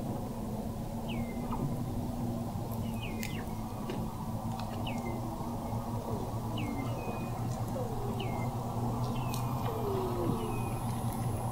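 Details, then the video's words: Weddell seals recorded in November 2017 at an observatory 21 m below the sea ice in McMurdo Sound, Antarctica; repeated short downward chirps and faint sweeping tones over a steady low hum. "Song of the Antarctic Weddell Seal"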